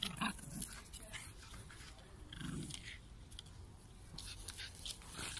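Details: South African Jack Russell Terrier pair, one growling low and rough in a brief rumble near the middle, amid soft rustling, clattering and scattered clicks.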